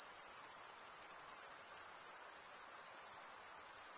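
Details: Crickets, chiefly males, chirping through stridulation of serrated wing veins. A continuous shrill trill with rapid fine pulsing holds a steady high pitch from start to finish, with faint hiss behind it.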